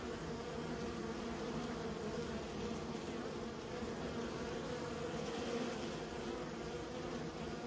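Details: Even, sustained drone of kept bees, a rich low buzz with slight swells in loudness and nothing else clearly heard.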